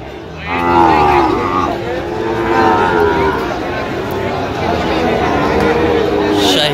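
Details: A Sahiwal bull calf at a busy Gazipur cattle market in Bangladesh gives a loud harmonic moo near the start, followed by softer drawn-out lows amid crowd chatter and talk.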